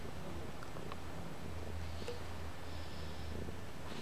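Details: A toothless kitten that loves to chew on things purrs indoors: a deep, even, throbbing rumble runs through the whole stretch in regular pulses, with only faint soft clicks on top.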